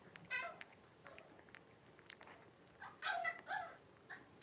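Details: Blenheim Cavalier King Charles Spaniel puppies, a litter of five born around New Year's, with their mother Paris in an indoor puppy pen; a short high whimpering squeal opens, then a longer wavering squeal burst near three seconds, over soft shuffling.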